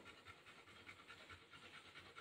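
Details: Wet Golden Retriever that has come in from playing in the rain during the rainy season; steady, fast, airy panting repeated several times a second, with a woman's voice asking if it wants to go out.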